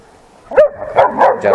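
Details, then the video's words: A trained, long-coated German Shepherd, ten months old, barking at other dogs: one sharp, ringing bark, then three rougher, quicker barks in close succession. "German Shepherd Barking on Dogs"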